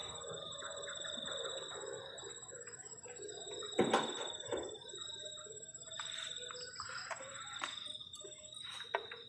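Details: On a cold night at a forest-edge garden shelter, crickets keep up an unbroken shrill ringing, overlaid by thumps and rattles of cooking gear, one loud bang just before the halfway point.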